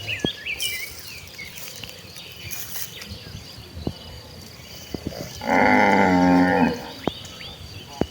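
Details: Tame village cattle in a herd walking to green rice fields to graze in the countryside; one long, steady, harmonic moo of about a second near the end, amid scattered clicks, footsteps and faint chirps.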